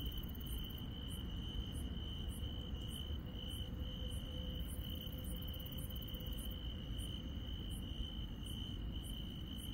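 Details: Countryside insects at night: an even high trill holds without pause while very high pulsed chirps repeat roughly twice a second, a faint lower tone hums through the middle, and low rumbling noise fills the background.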